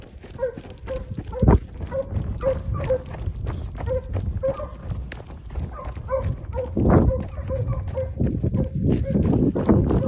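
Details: Segugio Italiano hounds, a pair of two dogs, training on hare: repeated mid-pitched barks or bays about twice a second, partly masked by steady low rumbling noise and thumps.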